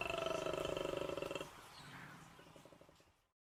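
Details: A koala's mating call heard while camping in the Australian bush, very loud: a harsh, rapidly pulsing roar like a deep snore, likened to a sick cow and braying donkey, then a quieter grunting tail.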